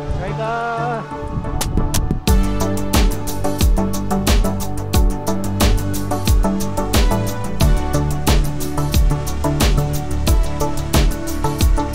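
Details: Loud, steady background music with a regular beat and sustained tones runs throughout, with no animal sound.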